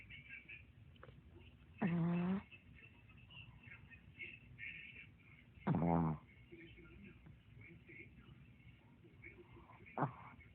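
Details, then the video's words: A sleeping dog snoring: three loud, buzzy, rumbling snores, evenly spaced about four seconds apart, the last one shorter and sharper, over a quiet indoor background with faint murmuring. "Cutest dog snoring!!!lol"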